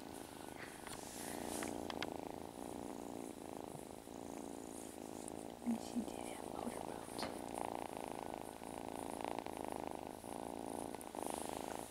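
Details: Foster kittens at play indoors, one purring steadily: a continuous low rumbling hum running through the whole stretch, with a woman speaking softly nearby and faint handling noises.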